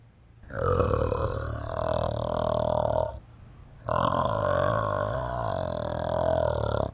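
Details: Orangutan producing two sustained, deep, belching roars of about three seconds each with a pause between, low gurgling tone with wavering pitch and strong harmonics.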